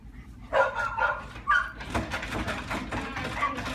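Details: Golden retriever x miniature schnauzer puppies giving a few short, high, tonal yelps about half a second apart early on, then a stretch of scuffling, rustling noise with fainter squeaks mixed in.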